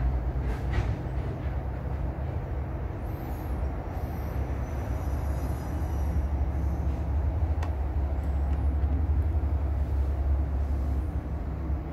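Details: A steady low rumble of a passing vehicle or train fills the recording, with no animal voice.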